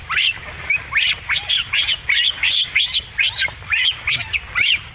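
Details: Baby monkey Rainbow being mistreated by its mother Libby. Shrill, harsh squeals rise and fall in rapid bursts, roughly three per second, continuing steadily over a low background hum.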